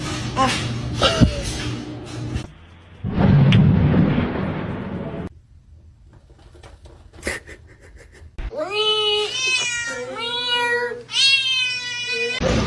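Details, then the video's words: Cat meowing indoors: after speech, music and a quiet stretch, a burst of loud, drawn-out meows with rich harmonics comes in two bouts over the last four seconds. "kitten meowing cute"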